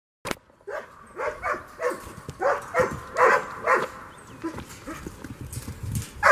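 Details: German Shepherd named Merlin, playing frisbee on April 30, 2022, gives a run of short, excited yelping barks, each bending up then down, about two per second, opening with a sharp click and ending in a loud thump.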